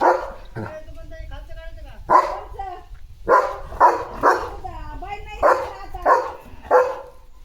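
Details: Morning in the yard with Leo, a German Shepherd, barking and running. Steady deep barks recur about every half second to second through the stretch, with people chatting in the background.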